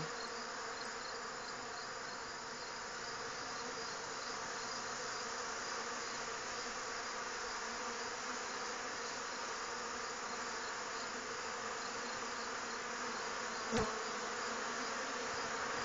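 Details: Honey bee colonies robbing neighbouring hives during a dearth; a long, steady, droning buzz with a constant low hum, unchanging in loudness apart from one brief knock near the end.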